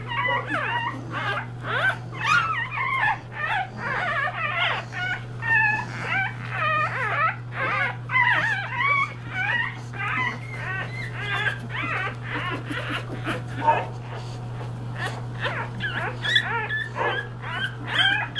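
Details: English Bulldog litter only three days old, puppies seeking affection from their mother, giving a dense chorus of overlapping high squeals and whimpers, bending up and down in pitch, nearly continuous, over a constant low electrical hum.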